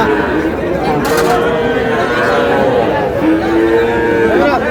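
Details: Small young bulls and heifer calves at a cattle market in Faridpur on 15 May, bought by a farmer; two drawn-out, level, low moos, each lasting about a second, rise above steady crowd chatter and bargaining voices.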